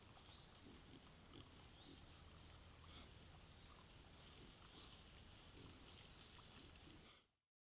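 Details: A family of wild boar with six piglets, probably two to three months old, giving low, soft grunts against a steady high hiss.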